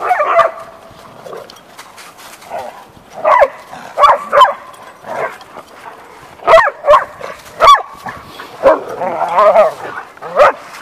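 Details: Gordon Setter and two English Setters, three pet dogs, playing together as they do each day; rough harmonic growls and yelping bursts come in clusters, about a dozen over eleven seconds, separated by short quiet gaps.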